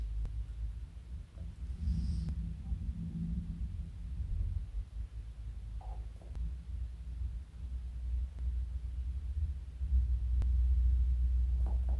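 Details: Low indoor rumble with a few soft murmurs and faint clicks, and no clear animal vocalisation.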